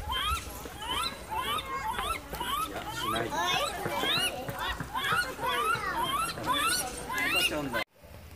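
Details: Zoo lar gibbons, 20 September 2016, with a 71-day-old infant present: dense overlapping rising whoops, rapid and repeated many times, over loud background voices, ending in a sudden cut.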